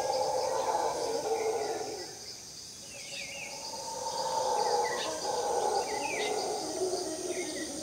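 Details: Howler monkeys at Finca Maresia, Drake Bay, calling at 5 am: distant, broad roaring swells in two long waves, rising and fading, under short descending bird chirps and a constant high insect hiss.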